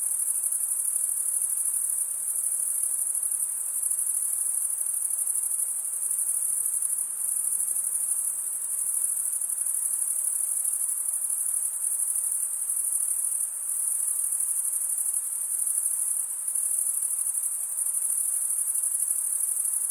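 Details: A chorus of crickets, males producing sound by scraping wing against toothed wing vein, keeps up an unbroken high-pitched shimmering trill. Loudness swells and dips only slightly over the whole stretch.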